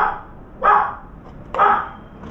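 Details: Short burst of dog barking near a veranda visited by a round-foreheaded crow: two full harsh barks under a second apart after a clipped opening one.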